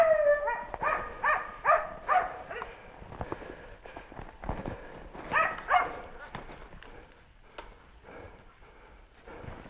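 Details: Hunting dogs baying while working a wild boar during a boar hunt. Bursts of ringing barks come in quick runs, fading into more distant yelps, with a man speaking nearby.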